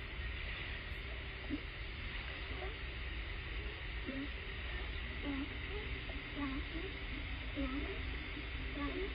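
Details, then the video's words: California sea lions off Point Robinson, east side of Vashon Island, Puget Sound, Washington, USA, picked up by an underwater hydrophone: short, low, hoarse barks spaced about a second apart, half-buried in steady deep water rumble and hiss. "Barks of California sea lions audible underwater"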